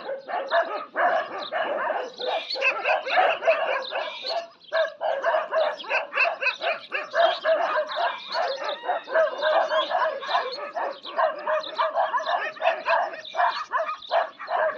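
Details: A long bout of desi dogs fighting one another: continuous, overlapping snarls, yelps and harsh barks in a dense, uneven flurry with only momentary lulls.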